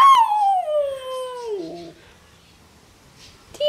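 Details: Siberian Husky puppy howling back as its owner asks whether it loves her: one long tonal howl that slides down steadily and then wavers lower before fading, with a woman's voice cutting in at the very end.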